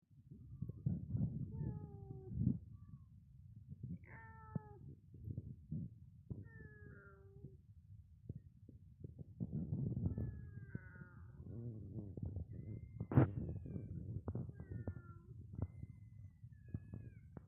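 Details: Kitten giving a series of short, thin, high meows, some rising and some falling, scattered irregularly over a steady low rumbling background with occasional knocks and clicks.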